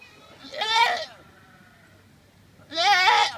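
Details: Goat letting out sudden, very loud crying bleats, startlingly human-like; two wavering, nasal cries about two seconds apart, each roughly half a second long, with quiet between.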